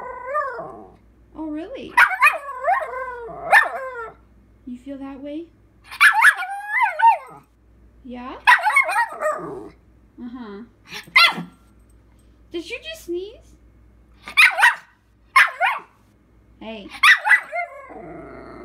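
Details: Puppy, female, vocalizing back at her owner in a small room: repeated yippy howls and short bark-like yowls in quick bursts, wavering up and down in pitch, with the owner's speech and music between them.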